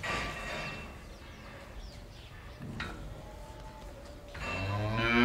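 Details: A cow in a barn gives a deep, harmonic moo that swells in loudness at the end.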